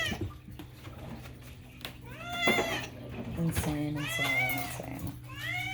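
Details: Pet cat Moo meowing indoors among human speech; two or three short upward-bending meows late in the clip, over a low electrical hum and talking.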